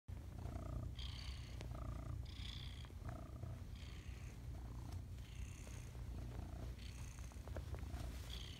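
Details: Domestic cat purring loudly while kneading in the morning: a steady low rumbling purr throughout, with brief higher tonal bursts recurring roughly every second over the top.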